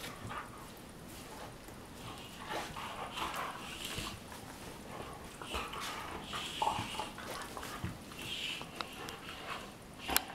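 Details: Two Weimaraner sisters, Jila and Faith from Cyprus, play fighting on their bed in the morning: scattered short growls and whiny grumbles, irregular bursts over ten seconds, with rustling bedding throughout.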